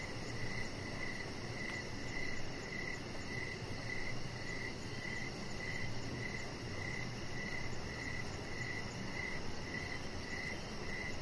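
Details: Crickets sing in the evening by a lit-up deck where a chihuahua pup named Rocket lies; crisp chirps recur at a brisk, nearly even pace, layered over a dull broadband rumble and a thin, rapid high-pitched pulsing.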